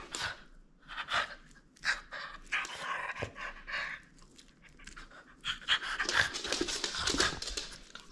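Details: French Bulldog at play, refusing to give up its toy, panting hard in quick breathy bursts that come and go over several seconds, with rustling movement in a small indoor room.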